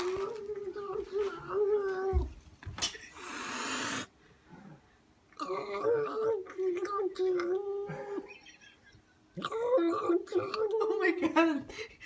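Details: Indoor pet cat frightened by a person wearing a cat mask gives drawn-out wavering yowls held at a steady pitch in three long bouts, broken by a sharp, noisy hiss burst.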